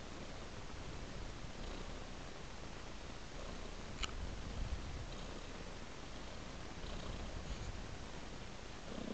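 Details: Cat purring as it follows a trail of raw meat: a continuous, low, even rumble with faint breathy pulses and a sharp tap around the fourth second.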